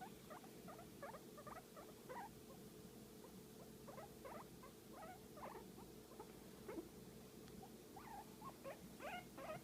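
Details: Guinea pig relaxing under a massage, making a dense stream of short, rising squeaky chirps almost every half second above a soft low murmur.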